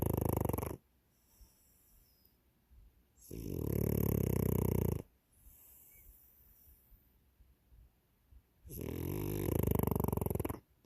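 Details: French Bulldog snoring: three long, loud rasping inhalations of about two seconds each, spaced by quieter pauses, with a rough, rumbling low tone and a hissy upper edge.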